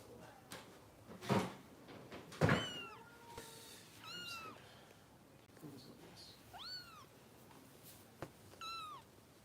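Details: Rescue kittens being bottle-fed indoors in Los Angeles cry out in thin, arching meows, a few seconds apart, some rising then falling; two loud thumps or handling noises come early, with quiet room hum throughout.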